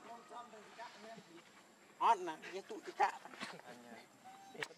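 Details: Hungry baby monkey Leo cries to beg milk from its mother, giving soft wavering whimpers, then two loud harsh squealing bursts, followed by quieter tonal whines and a short high note near the end.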